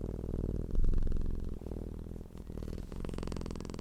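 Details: Domestic cat purring, described as content and relaxed: a deep, continuous low rumbling hum with rhythmic pulsing, a brief louder swell near the start and a faint hiss joining in toward the end.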